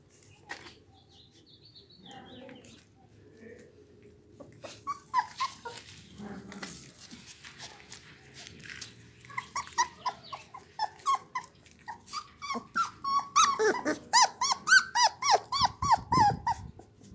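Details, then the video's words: Blue American Pit Bull Terrier puppies, the litter of a dog named Raven, at 24 days old: scattered high whines grow into a fast, steady run of short squeaky yelps toward the end, with faint rustling between. "pitbull blue cachorros hijos de raven"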